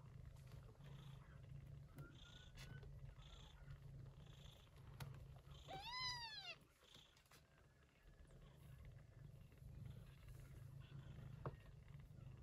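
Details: Mother cat Yupi, a gray shorthaired Persian Chinchilla, caring for her typhoon-born kittens: a deep, steady purr drones beneath one clear high rising-and-falling kitten mew midway, plus soft scattered rustles.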